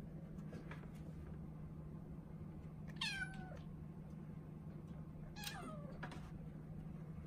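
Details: Female Norwegian Forest Cat kitten, four months old, named Ren, meowing from inside her cage as though asking to come out; two clear, descending harmonic meows roughly two and a half seconds apart over a constant low hum, with light clicks.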